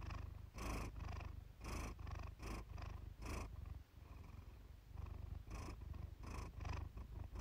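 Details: Relaxing purr from Iris, a Siamese cat: a low vibrating drone under rhythmic breaths, with a stretch of softer, steadier rumbling in the middle.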